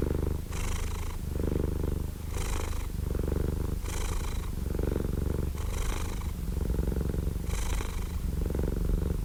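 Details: Cat purr as a rich, unbroken low rumble; breathy brighter pulses recur about once a second, giving a regular in-and-out rhythm with a quiet background.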